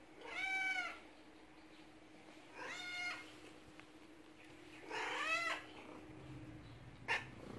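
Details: Male house cat Tulip, lonely after his human spent three days away, greets him indoors with three clear arched meows roughly every two seconds, then a brief click.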